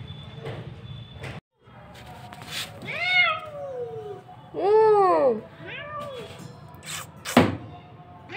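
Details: Pet kitten meowing indoors: several drawn-out, wavering meows that rise then fall, the loudest near the middle, with a person speaking briefly and soft handling noises around them.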